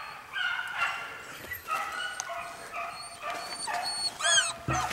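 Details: Dog coursing a hare, with excited high yelps and whining cries in irregular bursts, some rising sharply near the end, over a steady outdoor hiss.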